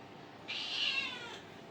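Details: House cat uttering one clear meow about a second long, starting abruptly, steady then fading downward; a quiet room with no other sounds.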